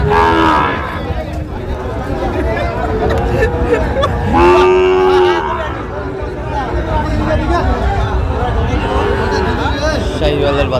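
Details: Sahiwal bull calves at a cattle market in Sylhet, Bangladesh, on 26 September 2025: one strong, drawn-out harmonic moo near the middle, with fainter lowing around it, over steady crowd chatter and market hubbub.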